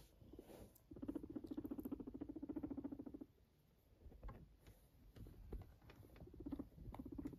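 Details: Pet guinea pig purring: a low, rapid, buzzy pulsed rumble that holds steady for about two seconds, fades, then returns briefly near the end, with faint rustling between bursts.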